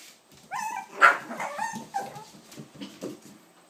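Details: Seven-week-old puppies in a crate give short high whines and yips that bend up and down, with one sharper yelp near one second, followed by softer whimpers and a person talking quietly.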